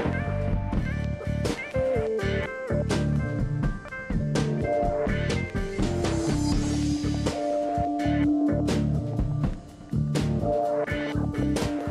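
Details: Loud blues-rock music with plucked guitar and a drum kit plays throughout.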